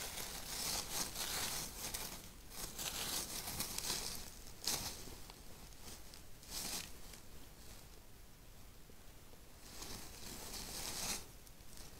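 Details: Rustling, crinkling and tearing noises in a small space, with no animal voice heard. Broadband bursts of crunching recur irregularly throughout.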